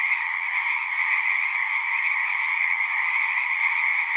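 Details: Many frogs singing at once in a continuous, shimmering chorus of high buzzy trills over a lower humming layer, holding an even level without pauses.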